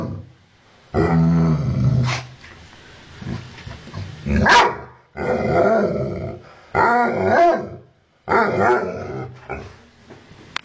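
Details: Ovcharka mix dog, angry at its owner, alternating harsh barks with deep snarling growls in bursts about a second long, separated by short pauses, very close to the listener.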